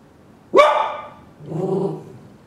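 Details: Pet dog giving one sharp, loud bark, followed about a second later by a lower, softer, drawn-out vocal sound, in an otherwise quiet room.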